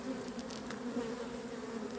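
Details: Honey bees in a beekeeper's apiary on 28 April, described as having gone crazy, swarming around a hive entrance: a dense, steady low hum with a strong fundamental and a clear overtone, unbroken throughout, with faint rustling above.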